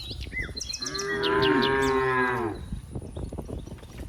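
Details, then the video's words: A single long, even moo of nearly two seconds from a cow among dozens playing in green rice fields, with bird chirps and twitters above it. "funny cow sounds, Moo cow sounds"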